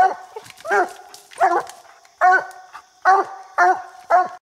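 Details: Coonhound baying at a raccoon treed in a small tree on a coon hunt, said to bark over 70 times a minute; steady, rough, resonant barks roughly every half second with faint echo.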